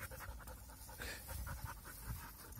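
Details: Young dogs at play, one panting in quick, soft, rhythmic breaths, a steady run of short breathy bursts with low thumping underneath; the recording is quiet overall.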